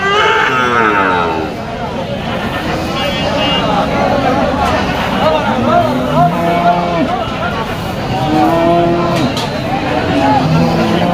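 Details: Market cattle at Moukhra cattle market, 31 August 2025: several low, steady moos overlap from different animals, some short and flat, some drawn out, amid loud human talking and traffic noise.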